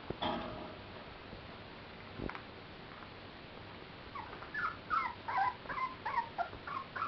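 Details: Clumber Spaniel puppies playing in spring 2011 at the Sugar Loaf kennel. Soft noises and a sharp knock come first, then a run of high, wavering whimpers and yips, quick and uneven, several per second.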